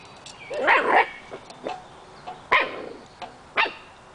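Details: Nine-week-old Scottish Terrier puppies playing with a treat ball, chasing kibble; a cluster of short high yips and squeals, then single sharp yelps at about 2.5 and 3.6 seconds, with clicks and rolling noises between.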